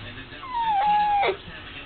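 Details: A 10-year-old male dachshund, carrying on as he does for an hour before dinner every night, gives a long, high whine that slides down and holds steady, begging while told dinner is 30 minutes away.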